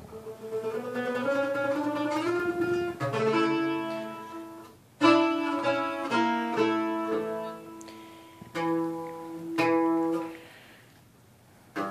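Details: Acoustic guitar plays a plucked, chord-rich melody with pauses between phrases; no animal voice stands out.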